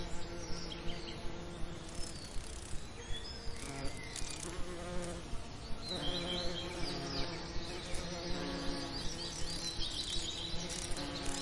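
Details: Bees around summer lavender produce a continuous buzzy drone with rich harmonics, rising and falling in loudness, while scattered bird chirps and a regular soft ticking sound in the background.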